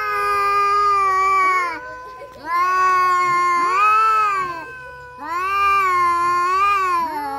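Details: Domestic cats fighting utter long, arching yowls that rise and fall, three drawn-out phrases separated by quieter pauses, a lower voice running beneath a higher one.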